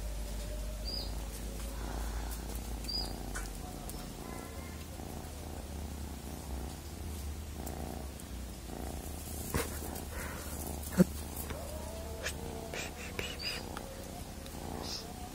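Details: Steady low purring from a cat, the rumble shifting slightly in tone partway through, with faint soft clicks and rustles in the background.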